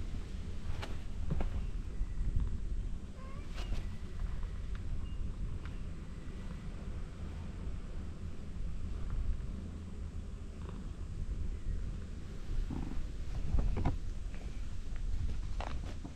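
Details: Cats at a temple on a cat island, described as welcoming visitors; a few faint, short meows surface briefly over a steady low wind rumble with scattered clicks and handling noise.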